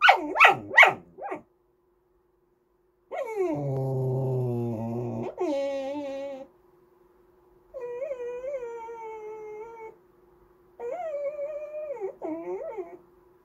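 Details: Andy, a talkative Goldendoodle, whines for snacks or to be petted: sharp yips at the start, then a low groaning moan, and several drawn-out wavering whines separated by pauses.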